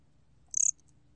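A bear cricket produces one short chirp, a quick burst of around six high, ringing pulses lasting under a quarter second. Faint low background noise surrounds it.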